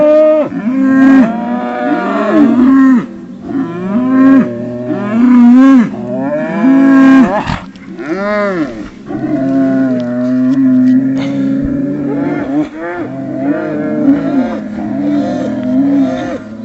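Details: Highland bulls making funny wookie-like sounds, a series of loud harmonic moans and groans in bursts of one to three seconds, some rising and falling in arcs, with short gaps between calls.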